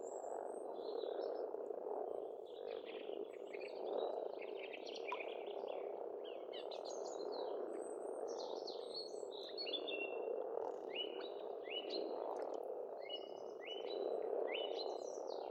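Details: Frogs calling in spring at a pond on an Estonian farmstead: a dense, continuous low purring chorus, with birds chirping and whistling brief high notes throughout.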